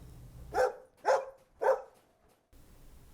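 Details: Dog giving three sharp barks spaced about half a second apart, each a short loud burst, with a faint low hum before and after.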